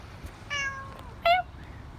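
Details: Siamese cat meowing indoors: a drawn-out, harmonic meow that slides gently downward, then a short, louder, sharper meow after a brief pause. The room is otherwise quiet.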